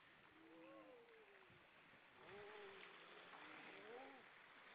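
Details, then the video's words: Grey seals, many together on rocks at Vilsandi, Estonia, on an October 2012 evening. Several overlapping drawn-out moans bend up and down, with a lower steady tone beneath, over a constant rushing background of surf. "Lots of seals on the rocks singing"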